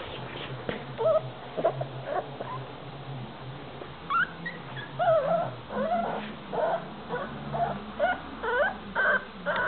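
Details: A nine-week-old male Staffordshire Bull Terrier puppy gives a run of thin, whiny whimpers and little yips in short, wavering, high-pitched bursts, with a low background hum underneath.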